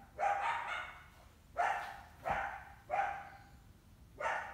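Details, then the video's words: Female coyote with at least one big pup in summer, trying to hunt an indoor cat: five hoarse barks spaced about one to one and a half seconds apart. "Summer coyote trying to hunt our indoor cat; she has at least one big pup with her."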